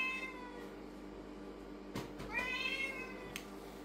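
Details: Indoor Lynx point Siamese cat giving a short faint meow, then a louder drawn-out rising-falling meow near the middle, between rustling and tapping sounds as toys and food are unpacked.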